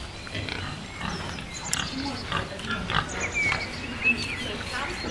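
A wild boar gives short, rough grunts in an uneven series, with faint voices behind.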